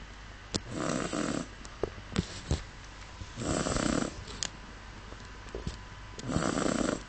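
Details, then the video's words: A female Miniature Schnauzer, fast asleep, snores in slow, rasping breaths, each under a second, spaced a few seconds apart. "Miniature Schnauzer "Millie" snoring."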